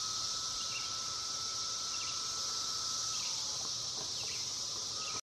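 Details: Millions of cicadas fill the woods with a steady, high, hissing drone that holds without a break.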